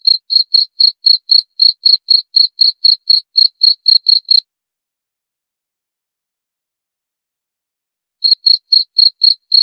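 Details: High, ticking cricket chirps at about four a second for four seconds, a pause of nearly four seconds, then the chirping starts again at the same pace; otherwise quiet.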